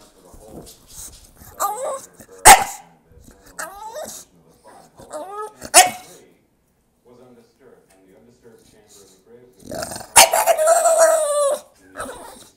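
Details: English bulldog crying for attention indoors: high, wavering whines and yelps rising and falling in short bursts, a few sharp loud yelps, and a long strained cry near the end; a person's voice is heard between them.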